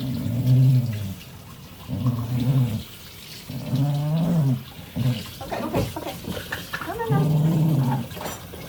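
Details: Wire-haired dachshund named The General, a shelter rescue, grumbling during a bath with lavender added: low rumbling growls in bursts of about a second, repeating every couple of seconds, with a woman's soothing speech and splashing water between.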